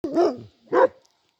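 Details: Kangal dog, one of six dogs being chased off by a pair of mischievous birds, gives two short, deep, harsh barks about half a second apart, each with a rough tonal core. No other sounds intrude.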